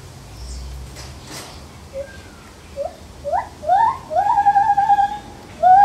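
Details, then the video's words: Zoo-kept Lar gibbon giving a run of short upward-sweeping whoops that quicken and climb, ending in a long quavering hoot and one final rising note; low background rumble. "Lar gibbon Monkey Sounds"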